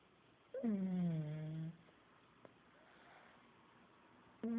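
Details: Loud snore from Buddy, a sleeping pet pug indoors: a rich harmonic groan sliding downward into a steady low drone for about a second, then soft breathing, with the next snore beginning at the end.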